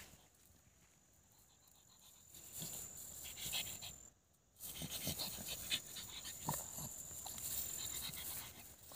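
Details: Pug dog playing outdoors, giving quick, irregular, breathy snorting pants in rapid bursts of hiss. A steady high thin tone runs through most of the recording, and a brief silent gap falls near the middle.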